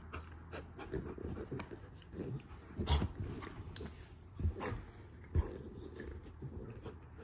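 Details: Standard Poodle pup and Havanese-mix growling in morning play; gruff low rumbles come in short bursts between snaps and thuds of wrestling in a small room.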